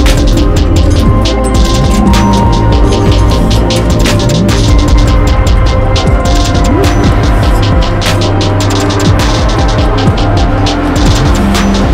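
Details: Loud, heavy electronic music with pounding bass and dense beats fills the whole stretch, and no animal sound comes through.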